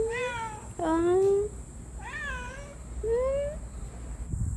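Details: Pet cat that rolls over, giving four clear meows in under four seconds: drawn-out, tonal, rich in overtones, some rising and others falling, with short pauses between them and a steady high hiss behind.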